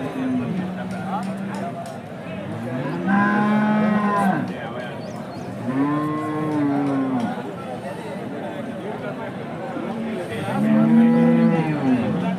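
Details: Hallikar cattle at a temple cattle market in India, giving repeated loud moos: four drawn-out, arching moos spaced a few seconds apart, over a background of crowd chatter and market noise.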